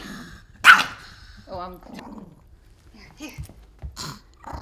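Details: Angry Pomeranian named Wooly protesting an upcoming bath: one sharp bark, then a wavering yelping growl and short grumbles, with a person talking over the dog.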